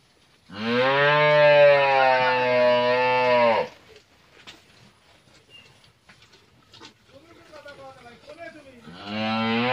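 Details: A 12-month-old Friesian heifer calf, raised naturally, gives one long, loud, steady low moo lasting about three seconds. After a quiet gap with faint background noise, a second moo begins near the end.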